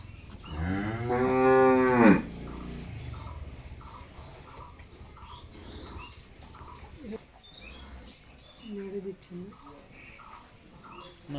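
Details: A high-quality Friesian cow in Pabna, Bangladesh, recently calved for the second time, gives one long, loud, harmonic-rich moo lasting about two seconds, followed by people talking, light music and a faint second low call.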